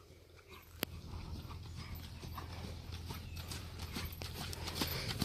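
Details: Sierd, an imported Friesian horse offered for sale in North America, moving with sharp clip-clop hoofbeats that strike somewhat unevenly, over a steady low rumble that grows louder toward the end.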